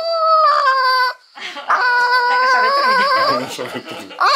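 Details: Female Mame Shiba Urara, about eight months, wailing on pick-up after spay surgery. A steady, high, ringing howl-like whine holds for about a second, then longer wavering cries run on with human voices over them.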